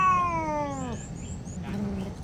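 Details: Cat protesting a bath, letting out a sustained complaining meow that falls steadily and cuts off after about one second, followed by quiet room noise and a faint later sound.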